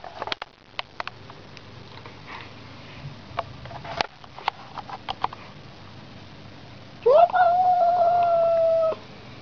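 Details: House cat facing a street cat. Scattered clicks and soft rustling come first, then a sudden steady yowl lasting about two seconds closes the recording.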